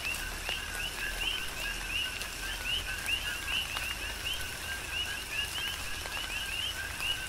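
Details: On Hawaii's Big Island, many coqui frogs chorus during tropical rain, their quick upslurred 'co-qui' chirps stacking into a constant rhythmic pulse above a hiss of falling rain and scattered drips.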